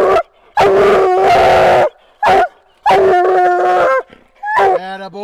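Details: Bluetick coonhound on a coon hunt, giving loud drawn-out bawling howls in bursts of about a second, several in a row with short gaps, a man praising the dog between them.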